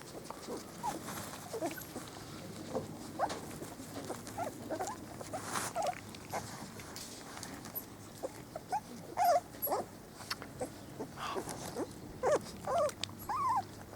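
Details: Four-week-old Spanish Water Dog puppies on their first day out in the garden, with a two-year-old working cocker spaniel helping; scattered short high whimpers and yips, with rustling and shuffling throughout.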